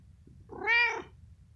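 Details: Pet cat on a bed after a big meal, grooming its fur and face before sleeping; a single short meow of about half a second, rising then falling in an arch, richly harmonic, in an otherwise quiet room.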